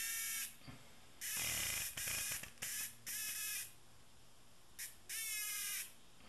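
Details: A tame cicada sounds off in irregular harsh buzzing bursts, some short and clipped, others sustained for up to a second, separated by brief near-silent gaps.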